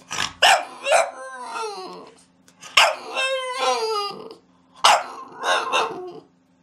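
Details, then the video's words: A dog's bark in a compilation of cute, funny barking: three loud bark bursts, each trailing into a drawn-out, wavering, falling whine like a short howl, with a low steady hum behind. "Latidos de cachorros"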